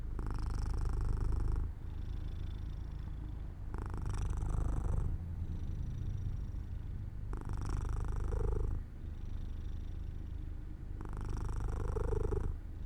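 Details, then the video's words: Drowsy house cat Jojo purring beside a sunlit open window as it falls asleep; a deep, throaty vibration alternating between four louder, harsher bursts and softer low hums, each cycle lasting about three and a half seconds. "Jojo falls asleep near an open window in the sunlight - My Cat Makes Sounds 3"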